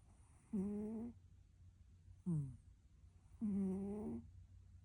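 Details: Domestic cat asleep and snoring, giving two long, even, droning snore tones and a short, sharply falling squeak-like breath between them, all set against a quiet room with a faint low hum.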